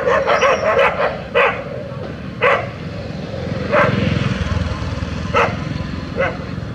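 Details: Street dogs, a brown Labrador Retriever against a German Shepherd, fighting in a rural village: a quick run of barks at the start, then single barks every second or so, with engine rumble and a voice underneath.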